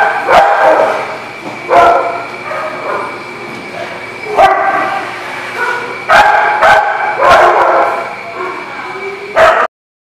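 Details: Dog barks recorded on 3/2/20, sharp and rough, in irregular bursts of one to three barks across ten seconds. A constant thin high tone stays in the background, and the sound cuts off abruptly at the end.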